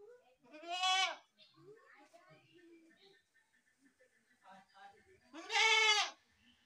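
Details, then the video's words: Goat bleating: two loud, quavering bleats about four and a half seconds apart, each rising then falling, with faint murmuring sounds in the quiet stretch between. "best goat sound in the world | goat sound"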